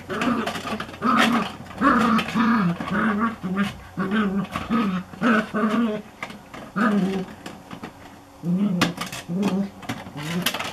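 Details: Border Collie herding plant pots, recorded 17 July 2014: a steady run of short, low, throaty growl-barks repeated about twice a second, with brief pauses between bursts.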